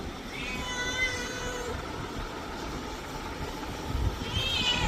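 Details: Cat giving a drawn-out, high meow with a slight waver that fades after about a second, then a second short meow near the end, over a steady hum of traffic.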